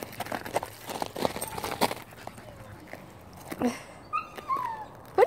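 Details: A rescued red fox, getting a new toy, gives high, thin whining calls that slide and waver, over clicks, rustling and people talking.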